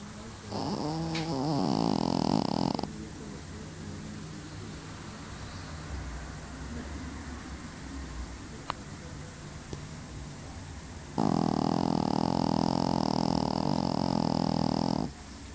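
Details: Pekingese (Canis familiaris), snoring.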